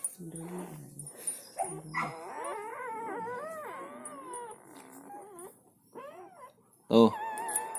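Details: Newborn village puppies, one of a litter of four born in a cage the day before, their mother chained nearby: soft wavering, rising and falling whines and whimpers, with brief low grunts and a sharp louder yelp near the end.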